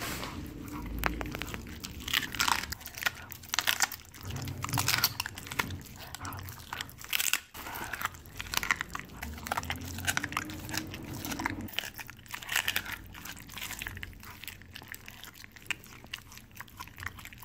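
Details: Siberian Husky crunching raw meat and bones, a chicken reward. Rapid, sharp cracks and grinding chews run continuously. A low hum or groan rises and falls beneath the bites for the first dozen seconds, then fades.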